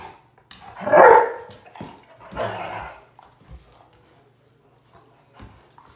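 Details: Bluetick and Black and Tan Coonhounds playing together; one loud, full bark near the start, a second rougher bark soon after, then quiet panting and shuffling.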